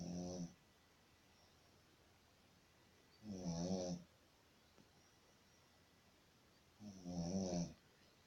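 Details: A sleeping Shih Tzu snores in a small indoor room, three raspy, rattling inhalations spaced around three and a half seconds apart, each swelling then cutting off abruptly.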